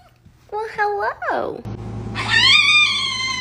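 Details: Fox, kept indoors as a pet, gives a few short wavering whines, then a drawn-out, harsh, high scream with strong overtones lasting over a second; a steady low hum and room noise underneath.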